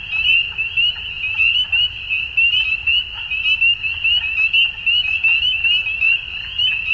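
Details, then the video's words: Frogs heard at dusk: a thick, high trilling chorus of countless rapid chirps, steady in pitch, the volume throbbing in roughly one-second waves, with soft low background noise. "Frogs At Dusk"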